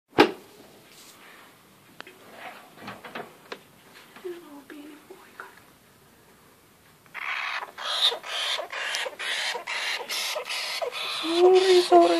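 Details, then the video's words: Young golden (Syrian) hamster, newly taken home on 8 February 2014, calling when afraid or annoyed at a first encounter. Quiet rustling at first, then a run of harsh, rasping squeaks pulsing rapidly over the last five seconds. "Young hamster is not happy"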